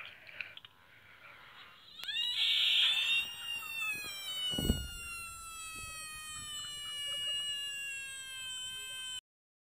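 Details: Screaming frog recorded on 3 March 2018, crying like a girl: a long, high-pitched scream with rich harmonics begins after two seconds and holds a steady, slowly falling tone for about seven seconds. A soft thump sounds midway.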